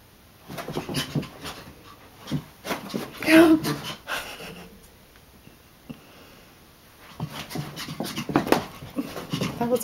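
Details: Brutus, a hyper Chihuahua, excitedly chasing indoors at night with lots of energy; rapid breathy bursts of panting come in waves, separated by a quiet gap, while a person's voice repeatedly urges him on.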